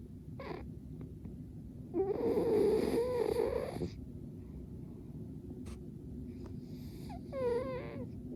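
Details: Gomachan, a pet cat, snoring in deep sleep while relaxing at home: one drawn-out, buzzy, nasal 'puu' lasting about two seconds, then a brief voiced sound near the end over a steady low room hum.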